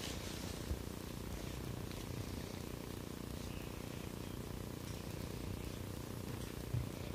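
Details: A 4-week-old female Siberian kitten, a soft brown mackerel torbie, purring indoors at a breeder's home in Texas; a continuous, steady low rumble with no breaks and no other clear sounds.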